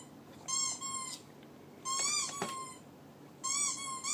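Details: Three separate squeaky whines from a pet dog, thin and ringing, each lasting under a second with a gentle rise and fall in pitch and a faint click within the second one.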